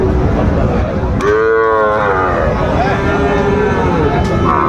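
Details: Young Sahiwal bulls at Raniganj livestock market, 25 July 2024. One strong, rich moo starts after a second and bends downward over about a second, then softer calls trail off amid chattering crowd.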